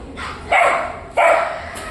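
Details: Dachshund named Alisa on a park walk in Lobnya, Moscow region, on 25 August 2025, during a microchipping, registration and vaccination event; two sharp, broadband barks about 0.7 seconds apart over steady background hiss.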